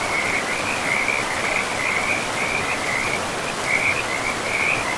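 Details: By a river in untouched forest, frogs keep up a continuous run of quick, pulsed croaking notes, densely repeated throughout, set against the steady hiss of rushing river water.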